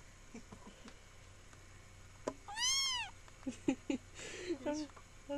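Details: Young kitten indoors, possibly altered by camera effects; one clear arching meow, then short chirpy squeaks, with a person talking and quiet room noise.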